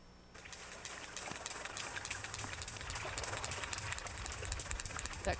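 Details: Sperm whale clicks recorded off Sitka, Southeast Alaska, in research on whales raiding longline fishing vessels: sharp, broadband ticks repeated several times a second over low underwater rumble. The whales use the clicks to communicate and hear their surroundings.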